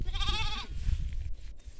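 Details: Sheep among lambs in agricultural land giving a single quavering bleat lasting about half a second, with heavy low rumbling noise underneath.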